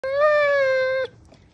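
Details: A Basset Hound gives a single steady, level howl lasting about a second while celebrating St. Patrick's Day.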